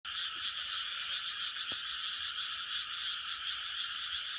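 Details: Frog chorus recorded in 2020: a dense, unbroken wall of overlapping croaks filling a high band, steady in loudness throughout, with one brief sharp click near the middle.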